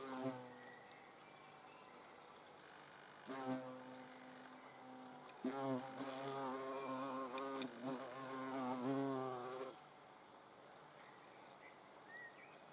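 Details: Hornets watched at close range: a low, droning wing buzz rich in overtones comes in several bursts, loudest between roughly three and ten seconds, with short pauses and quiet background between them.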